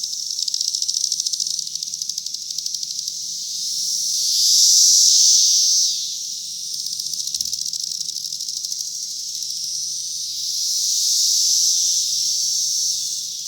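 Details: Many cicadas calling from a cherry tree in 2021, high pulsed buzzing that builds into a loud steady surge, falls back to fast throbbing, then swells again near the end.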